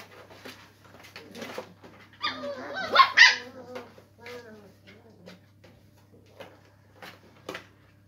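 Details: English Springer Spaniel puppies playing together in a cardboard box: short high yelps and whiny, wavering squeals, loudest in a burst around the middle, with scattered softer yips and scuffling between.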